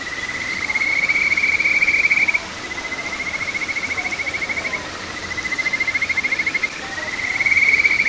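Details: Kajika frog calling at a small village stream in Boso, June 2023: long, slightly rising trilled whistles, each a fast run of pulses lasting about two seconds, repeated with short gaps over a soft steady background hiss.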